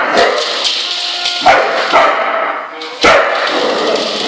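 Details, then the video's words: Dog on its first Christmas, angry at a singing Rudolf toy, giving short harsh barks at about 1.5 and 3 seconds over the toy's continuous tinny music and jingling melody. "Toy Rudolf makes a dog angry"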